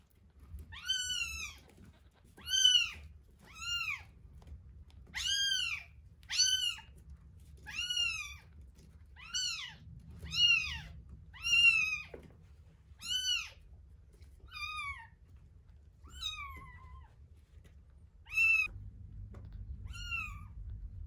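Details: Terra and Towa, one-week-old kittens, feeding: a long series of loud, high, arching mews about once a second, thinning out toward the end, with faint low room hum.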